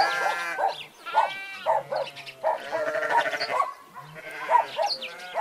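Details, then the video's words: Sheep kept with goats giving a run of short, nasal bleats in quick succession, some overlapping, with brief pauses between bursts. "Sheeps, goats and their sounds"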